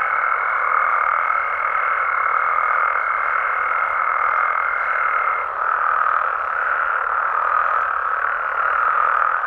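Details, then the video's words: Mexican frogs chorusing after dark, countless overlapping croaks merging into a constant hum; a sustained high, pure tone rides above for the first half, stops abruptly, and the chorus briefly dips before resuming at full strength. "Mexican Frogs & Toads Sounds"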